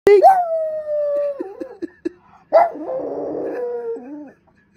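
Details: Female French Bulldog moaning and howling: a long steady tonal howl with a slight upward scoop, a few short yips, then a second rougher, strained howl that tails off.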